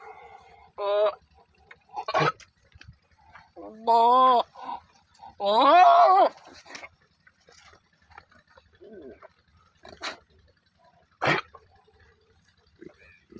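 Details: Goat bleating twice in quick succession, each call nasal and trembling, the second longer with a wobbling, falling pitch, amid scattered sharp clicks and quieter grunting sounds.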